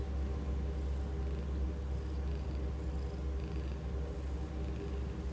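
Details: Rehoming-centre cat in Cambridge giving a loud, unbroken purr: a deep rumbling hum that pulses steadily about three times per second, with faint background hiss.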